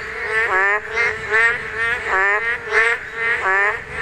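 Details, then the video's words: Calling during the spawning season, a Korean narrow-mouthed toad gives about six rough, nasal croaks in four seconds, each a bleating note with wavering overtones, spaced unevenly against a quiet background. "맹꽁이 산란!! 맹꽁이 울음소리"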